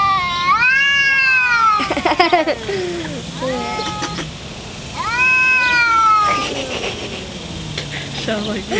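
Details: Two fighting domestic cats, among them black cat Shadow, trading loud wavering yowls that sweep down in pitch, broken by short spitting hiss bursts, with a low growling undertone between cries.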